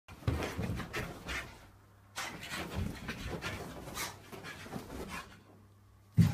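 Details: Excited Staffordshire Bull Terrier indoors, panting hard in rapid rasping bursts with short pauses, a low steady hum underneath, ending in a sudden loud thump.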